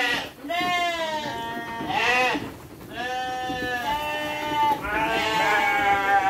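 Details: Sheep fed dry fodder alongside children, giving long, wavering, strongly harmonic bleats that run into each other almost continuously, some rising and falling in pitch.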